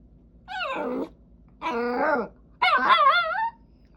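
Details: Female Jack Russell Terrier making cute vocal noises because she wants to play with her brother: three drawn-out whining, moaning cries about a second each, rising and falling in pitch with rich harmonics, separated by short pauses; a quiet low hum underneath.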